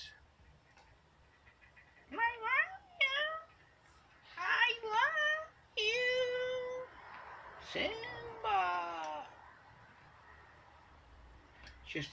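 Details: Pet cat meowing indoors while begging to go outside: a run of drawn-out, harmonic meows, some rising then falling, several in quick succession over about ten seconds, with a person's voice in the background.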